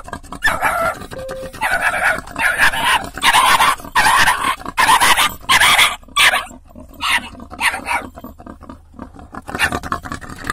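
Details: Dog barks in loud, harsh bursts at a wild boar trying to get into a car through the window, with snuffling and grunting noises between barks.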